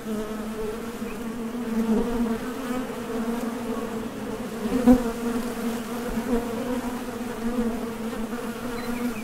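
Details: Steady hum of honey bees coming and going at a Top Bar Hive entrance while foraging for nectar, a continuous layered drone from many wingbeats with one sharp, louder buzz near the middle as a bee flies past.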